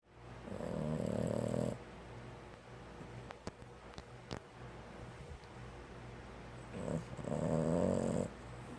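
A Boston Terrier gives deep, rattling snores, each lasting over a second with a buzzy, fluttering texture. Between the two snores comes a quiet stretch of soft breathing and faint clicks.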